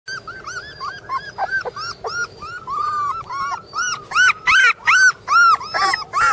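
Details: Border Collie puppies, littermate brothers, give high, arched whining yelps, rising then falling, about two or three per second, growing louder and more insistent toward the end, several puppies overlapping.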